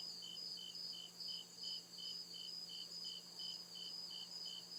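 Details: Deep woods at night, crickets sending out rapid, regular high chirps over a ringing continuous trill, the pulses slightly swelling and fading in loudness.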